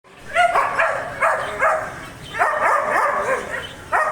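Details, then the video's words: German Shepherd barking in rapid bursts: five loud, harmonic barks within about four seconds, some doubled close together, each dropping slightly in pitch, with no other clear sounds. "German Shepherd Barking Sound Effect"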